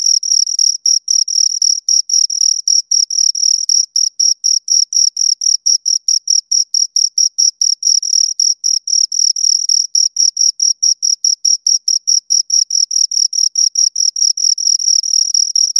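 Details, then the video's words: Pair of crickets giving steady high chirps, a long run of brief scraping pulses packed closely and evenly for sixteen seconds, bright tone with a faint higher overtone, no other sounds present. "Two Crickets Chirp Sounds"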